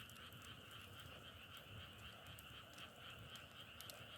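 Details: Many frogs call together in a constant, pulsing trill holding two pitches. Brief crackling snaps recur over the chorus.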